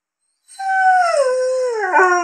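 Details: Haru, a young male Curly-coated Retriever, howling, as he does when females are in high season; a single drawn-out tone starts after a brief silence, slides gently downward, then wavers near the end.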